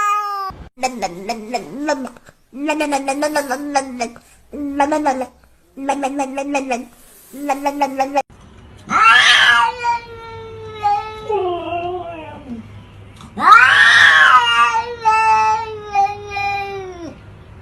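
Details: Talking house cats give quick bursts of short chattering meows, then longer, louder, strained wailing meows that bend up and down; a low steady hum runs underneath the later calls.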